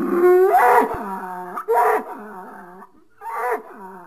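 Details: Bull giving three short, wavering bellows in quick succession, each starting with a sharp rising break and sliding down into a moaning tone, indoors-sounding and fairly close.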